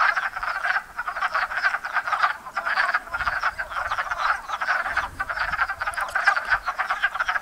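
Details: Spring breeding chorus of many wood frogs at a little pond in Enosburgh, a steady rattle of quick duck-like clucks overlapping without pause, with faint low thumps of handling noise underneath.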